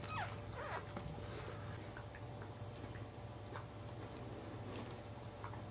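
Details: Third newborn Cairn Terrier puppy during its delivery, giving thin, high, falling squeaky whimpers in the opening second, then a few faint scattered squeaks over a steady low indoor hum.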